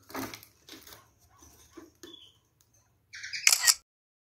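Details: Pair of caged kakariki after a nest was placed for them: faint scratching and light taps, then a loud harsh, buzzy double call with layered tones near the end, followed by silence.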